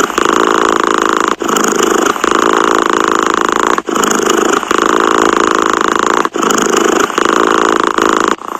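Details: Close, loud purring from a pet cat, a coarse buzzing rumble carried on each breath, with short gaps roughly every two to two and a half seconds. Nothing else is audible.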